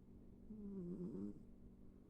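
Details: Pet cat asleep and snoring: a single low, wavering, droning snore of under a second that rises and falls in pitch over a steady hum, in a quiet room.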